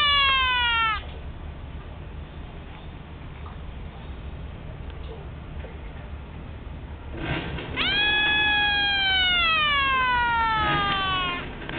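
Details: Pet bullfrog screaming when threatened while its tank is cleaned: a scream fades out in the first second, then after steady hiss a long harmonic scream near eight seconds slowly falls in pitch for about three seconds, another beginning at the end.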